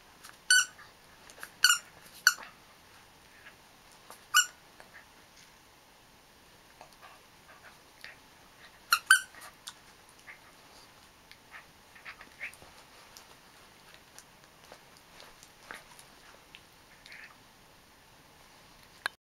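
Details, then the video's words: Cairn Terrier making high, squeaky whistle-like calls that resemble a sea otter. Short harmonic squeals come in small clusters near the start and again around nine seconds, with faint scattered squeaks and quiet room sound in between. "Sea Otter? No! It's Cairn Terrier."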